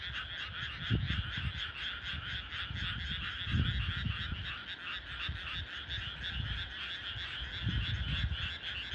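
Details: Frogs calling at night in countryside rice paddies in clear air, a dense chorus of rapid pulsed croaks banded near two pitches, steady throughout, with low rumbling thumps and handling noise underneath.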